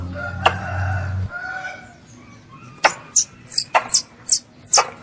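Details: Squirrel, described as a pest, calling for its mother. After a low rumbling hum and a single click at the start, a quick series of piercing high chirps begins near the three-second mark and repeats rapidly.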